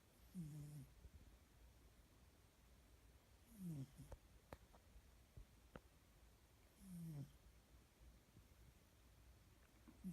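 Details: A cat snores in its sleep, giving low, downward-sliding rumbles roughly every three seconds, with a few sharp clicks and small knocks between breaths.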